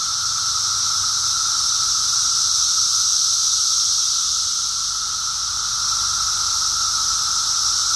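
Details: Periodical cicadas of Brood X in emergence, recorded while walking; a continuous massed drone, a steady whining tone layered over a loud high-pitched hiss that never pauses.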